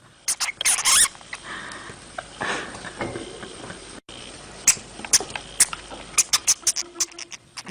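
Brief, thin, high-pitched squeaks from a hamster come in scattered bursts. Between them are soft scratching and rustling sounds, with a faint hiss in the background.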